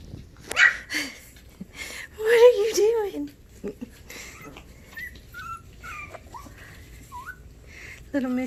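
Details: Havanese puppies filmed January 20, 2020: short rising and falling squeaky whines, some bending up then down, repeated every second or so, mixed with a person's voice talking to them and a brief louder yelp near the end.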